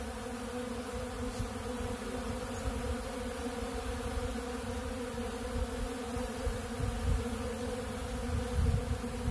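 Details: Continuous humming of numerous honeybees feeding on ultra bee pollen from a big blue feeder, with a heavy low rumble swelling toward the end.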